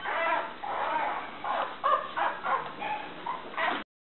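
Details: Cream-coloured female Toy Poodle puppy, born 1 May 2014 and recorded on 17 June 2014 in Shiga, Japan, giving a run of high, whining yips and whimpers, about eight short cries in quick succession, then silence.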